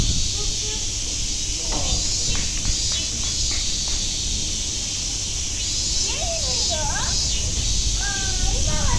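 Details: Cicadas at Nogeyama Zoo keep up a steady, high, hissing drone, with people's voices and brief whistled sounds over it.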